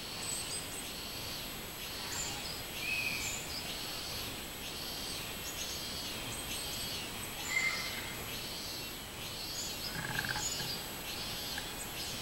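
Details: Robust cicada song from 24 July 2016, repeated buzzy swelling notes in an even chain, joined by a few thin, sharp bird chirps and light outdoor noise.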